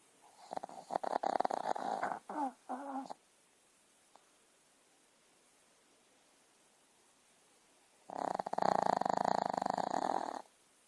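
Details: Sleeping puppy snoring in blissful dreams on a Sunday morning: two rough, raspy, rattling bursts a few seconds long, separated by about five seconds of quiet indoor stillness.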